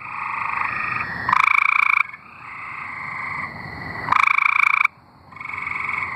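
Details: A chorus of tree frogs from Arkansas: steady pulsed trills from a few frogs, broken by two short loud raspy bursts about three seconds apart.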